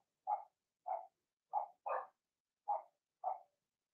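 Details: Blenheim Cavalier King Charles Spaniel puppy from Remy's litter, in the puppy pen. Six short, even yaps come roughly every half second in a steady run, against a quiet background.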